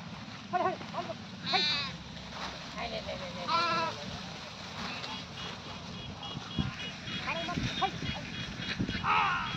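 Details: Loud, quavering goat bleats ring out twice early on, followed by fainter bleats and a final wavering call, with people's voices and rustling in the background.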